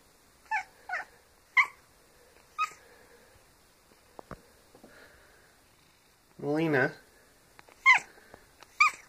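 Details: Pet cat squeaking indoors: a series of short, high, chirpy squeaks, about six in total, plus one longer wavering, quavering note midway, with quiet gaps between calls.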